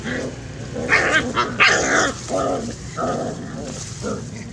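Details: Puppies play-fighting: a string of short, rough growling yelps and yips in uneven bursts roughly every half second, some sharper and higher, over a steady low background hum.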